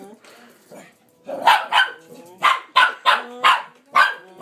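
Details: Pet dog Pepper chasing the "vacuum": a rapid series of seven sharp, bright barks about every third of a second after a quiet start with low human vocal noises.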